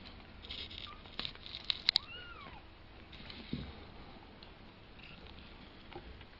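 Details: One clear, arched, high-pitched mew from a two-week-old kitten learning to walk, preceded by a brief faint squeak and surrounded by sharp ticking clicks and light shuffling.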